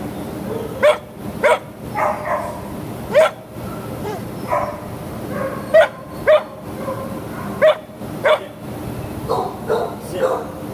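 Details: Terrier at an adoption shelter, 19 July 2015 midday, with loud sharp barks coming in pairs every couple of seconds over a background of other barking dogs and kennel echo.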